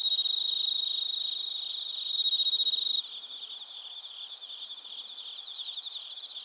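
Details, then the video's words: Bell crickets and other crickets in Narita, Chiba, Japan, captured on a TASCAM Portacapture X8. A clear, pure bell-like ringing note sits over a buzzing high trill chorus for three seconds, then drops to softer, rhythmically pulsing chirps. "スズムシとコオロギの鳴き声 - Chirping of crickets"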